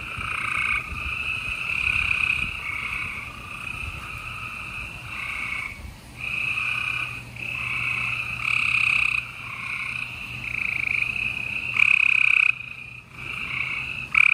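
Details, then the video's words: Gray treefrogs calling at night in Houston, Texas, on April 28, 2020: a run of loud, buzzy trills, mostly one to two seconds long, separated by short gaps, with overlapping callers. "Gray Tree Frogs Chorus"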